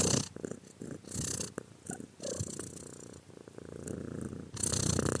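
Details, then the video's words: Purring cat heard at close range, low throbbing rumble alternating with hissy breaths, loudness rising and falling in a few uneven waves, ending on a strong, breathy swell. "More Cat Sound Effects!"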